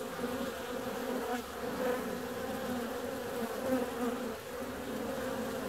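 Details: Bees on the wing during a warm February day produce a continuous whirring hum, even and sustained, with slight rises in loudness as closer insects drift past.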